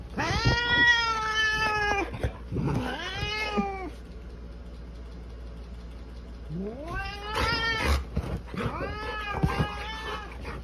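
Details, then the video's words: Angry orange polydactyl cat battling a golden retriever lets out loud, long, harsh yowls. Bursts of about two seconds repeat with short pauses, some sliding upward, then several rapid yowls close together, over a low background hum. "Dramatic Golden Retriever and Orange Polydactyl Cat battle it out"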